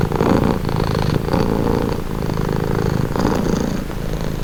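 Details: A purring cat, recorded close: a rough, low rumble pulsing with the cat's breathing, loudest at the start, then steady and soothing.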